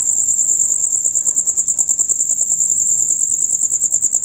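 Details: Rapid, loud chirping of male crickets during their dusk-to-dawn chorus, a steady high shrill trill beating in quick regular pulses throughout, over quiet low murmur.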